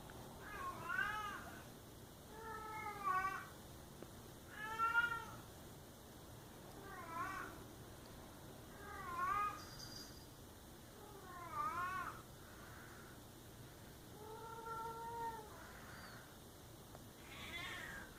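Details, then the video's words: Cat giving a series of drawn-out, wavering meows, roughly every two seconds, each with a rising then falling tone, against a quiet indoor background hiss. "Funny cat sounds"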